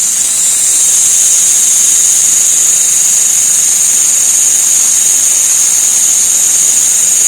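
An insect makes a loud, steady, high-pitched hiss that drones on without a break.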